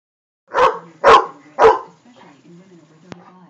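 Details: A Great Dane that cannot stand a flame gives three deep, loud barks about half a second apart, then falls quiet.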